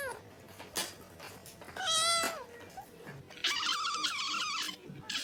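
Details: A kitten at Reebonz Cattery gives one clear arched meow midway, followed by a longer, rougher, wavering call, amid scattered sharp clicks and taps.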